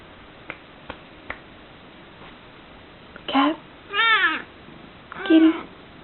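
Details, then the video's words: Chai, a female pet cat, giving her groggy evening or morning meows: a few soft clicks first, then three harmonic, arching meows about a second apart, the middle one longest and wavering. "Chai's Funny Noises"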